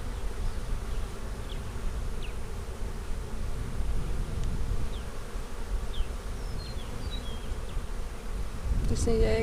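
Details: Honey bees in a split colony during a spring hive inspection on April 15, 2017, the queen kept in a five-frame nuc; a dense low steady droning hum fills the recording, with a brief clatter near the end.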